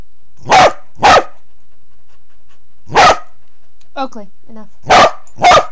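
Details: Under a bed, a low-crawling Corgi recorded by Android phone barks in pairs: two sharp barks, a pause, a single bark, a brief faint voice, then two more.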